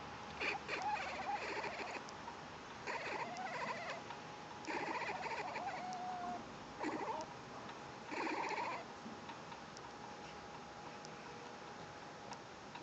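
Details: Kitten making weird noises: bursts of rough, buzzy, trilling calls, each lasting about a second, come roughly every two seconds against a steady faint hum in a quiet room.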